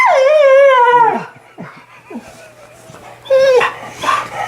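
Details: Australian Shepherd female, upset when her owner jokingly threatens to steal her tongue; a sustained descending howl-like whine, then brief breathy whimpers and a short closing cry.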